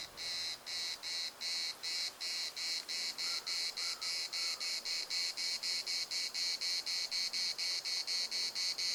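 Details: A chorus of cicadas in Larnaca's municipal park, a steady run of harsh, buzzy pulses at roughly four per second, evenly spaced and unbroken throughout, over a quiet background.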